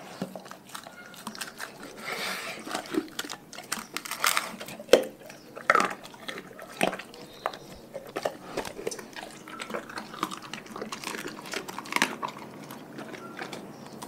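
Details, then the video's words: Dogs from a pack fed a raw diet chew their food. Scattered crunches and bites continue throughout, with a few louder snaps around the fifth second and faint voices in the background. "Dogs Eating Raw Food"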